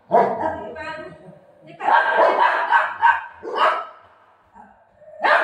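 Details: Buzo, a pet golden retriever, plays indoors while his owner opens a parcel. Sharp barks come in a quick burst of about four, then a single one. A woman talks in Marathi around them.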